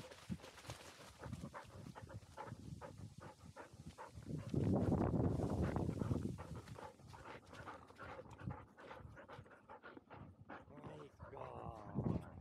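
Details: Field-type Labrador Retriever puppies, 439 days old, dashing up a slope; rapid rhythmic panting breaths about four per second, with a louder stretch of heavy breathing and rustling midway and brief voice-like sounds near the end.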